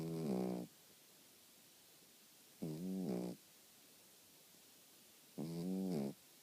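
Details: A sleeping dog snores indoors with low, tonal, buzzing rasps, each lasting under a second and recurring about every two and a half seconds, separated by near silence.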